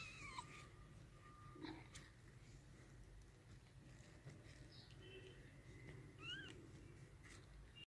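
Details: Newborn kittens, just born to their mother inside a clothes wardrobe, give thin, high mews: a few short wavering cries, then a sharp rising-and-falling chirp near the end, over a steady low indoor hum.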